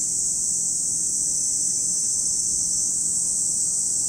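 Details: At Lake Kamo, Sado City, in Japan's Niigata Prefecture, cicadas fill the air with a continuous, even, high hissing whine, unchanging throughout, with no other clear sounds.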